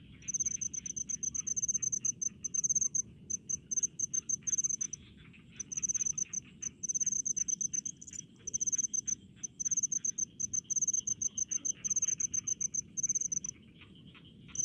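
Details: Loud, near-continuous high chirping of a cricket in rice paddies, fast pulses grouped into long trains broken by brief silences, with weaker lower insect trills and low ambient rumble.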